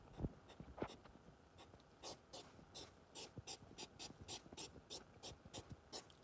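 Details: Mating-season hedgehogs, August 2023: a couple of dull thumps and scattered rustles open, then a run of rhythmic breathy huffs, sharp hissing puffs repeated roughly three times a second, somewhat uneven in spacing.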